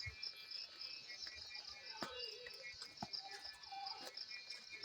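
A cicada sings a continuous, shrill buzz that holds on one high pitch with a slight pulsing flutter. A few sharp clicks or knocks and some faint lower tones sound in the background.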